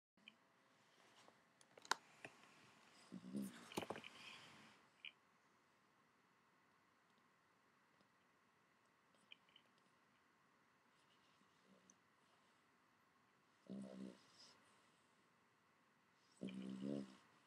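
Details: A Boston Terrier snores as it habitually does while asleep, in short, rough, rumbling breaths separated by long quiet pauses.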